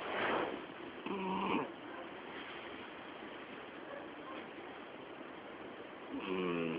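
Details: Twelve-year-old female house cat asleep, snoring so loudly it is said to drown out the television: soft, breathy rasping snores with a faint tonal buzz at the start and again near the end.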